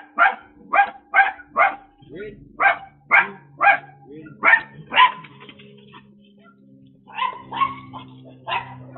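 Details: A little dog in the United States barks at a delivery driver who gets it to follow commands and wait. Sharp, bright barks come in quick bursts of about two per second, with a short lull and then more barks. A human voice is heard too.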